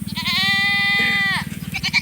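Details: Loud drawn-out scream of a Nigerian Dwarf doe in heat wanting to join the bucks: one sustained, rich harmonic bleat over a second long that drops away at the end, with a steady low pulsing rumble underneath and brief clatter afterward.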